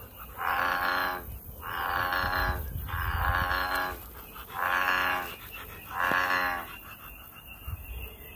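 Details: American bullfrog in a natural setting: a loud series of five deep, resonant, harmonic croaks, each roughly a second long, coming every one to one and a half seconds, with light background noise.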